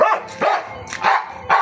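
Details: Dog barking, about four sharp, mid-pitched barks in quick succession within under two seconds, with faint background hum.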